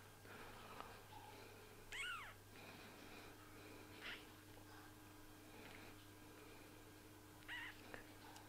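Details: Young kittens, eyes newly opened, give short high-pitched mews indoors, one arching up then falling, followed by two fainter cries several seconds apart; low steady background hum throughout.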